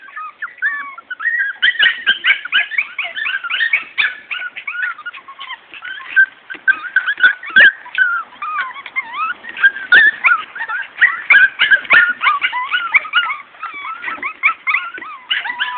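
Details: A litter of Morkie puppies, Maltese-Yorkie crosses born to Soapy and Max, in a dense, continuous chorus of high squeaky whines and yelps that rise and fall, many pups calling over one another throughout.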